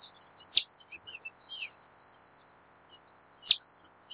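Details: A wild chipmunk gives two loud, piercing chip notes about three seconds apart, each ringing briefly. Thin, high bird twitters sound softly between them.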